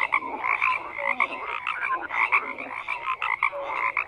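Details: Thick croaking chorus from numerous frogs, rapid raspy pulses layered with short higher notes, steady throughout with slight swells in loudness.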